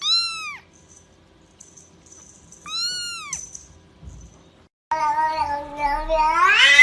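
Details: Kittens meowing: two clear, rising-then-falling mews near the start and middle, separated by quiet, then a longer, louder, wavering meow with rich harmonics rising at the end.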